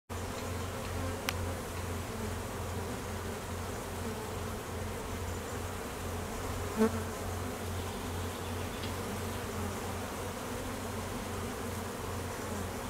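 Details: Honey bees at an apiary in peak summer nectar flow, foragers busy and drones on midday mating flights; a dense, steady hum of many wings fills the air, with a low droning pulse wavering underneath and a faint click near the middle.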